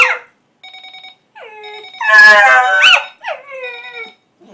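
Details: Pet dog howling indoors in response to a ringing alarm clock: drawn-out sliding wails that drop in pitch, rising into a louder strained howl mid-clip, between bursts of a repeated electronic beeping alarm tone.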